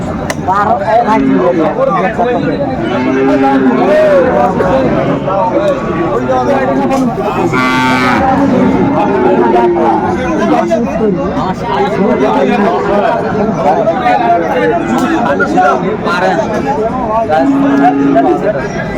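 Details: Busy Chattogram cattle market, Bangladesh, 7 December 2024, with Sahiwal bull calves for sale: repeated low steady moos from cattle throughout, layered over constant crowd chatter and a brief loud burst of talking near the middle.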